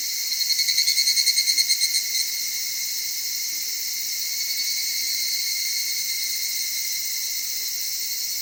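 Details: Evening cicada singing in Okutama's cedar forests, Tokyo, Japan, heard at dawn and dusk: a rapid pulsed high ringing phrase for about two seconds, beats repeating quickly and fading, over a steady shimmering chorus of others.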